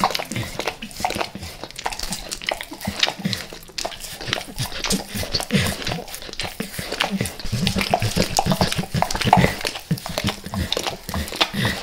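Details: Max, a dog, licks and devours natural peanut butter and peanut butter oil indoors; wet, smacking licks and slurps come in rapid, uneven bursts throughout, with clicking mouth sounds in a small room.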